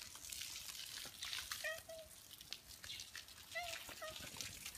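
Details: Stray ginger tabby cats in a residential neighbourhood, welcoming a person they have grown attached to: short harmonic meows, two brief chirping calls roughly two seconds apart, over a human voice and running water.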